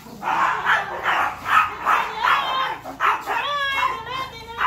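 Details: Brave Chihuahua angry at bigger dog Hansel: slower, spaced yapping barks about once per second, the later ones drawn out into a whiny, tonal edge.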